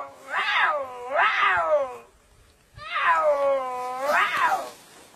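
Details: A domestic cat gives four drawn-out meows in two pairs, each rising then falling in pitch.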